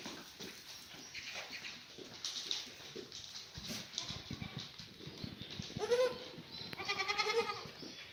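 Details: Black goat mothers and kids in the birthing pen at Sunny's Black Goat Farm in Gimhae, South Korea, clear Monday morning, 4 March 2019; two wavering, nasal bleats near the end over steady barn rustling and knocks.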